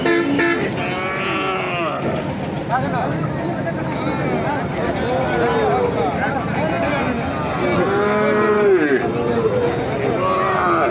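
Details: Cattle, heifers and bull calves at the Nandail Chourasta cattle market, 10 April 2025: several drawn-out, rising and falling moos overlap among steady crowd chatter and market bustle.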